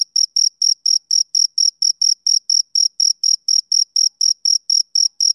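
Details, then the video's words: A male cricket keeps up regular shrill chirping, short pulses spaced about a quarter second apart, clean and uniform with silence between each note. "Cricket Chirping Sound Effect"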